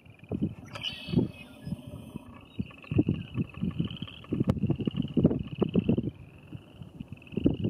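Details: Western chorus frogs at the Paint Mines near Calhan, Colorado, late April, give high, rasping trills repeated in a steady chorus over low wind rumble.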